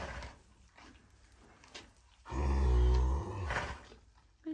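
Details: Sleeping Standardbred maiden mare at night during foaling season gives one loud, deep rumbling snore about a second long, with faint rustling before it and soft human voices just after.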